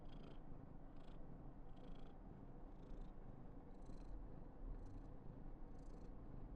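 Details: Karen, a female Somali born 19 November 2021, purrs steadily in an affection-seeking mood; a low continuous drone is overlaid by short breathy high bursts repeating about once a second.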